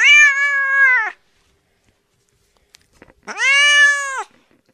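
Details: House cat producing two clear meows about two seconds apart, the first steady and slightly falling, the second rising sharply then level, with soft faint taps in the gap.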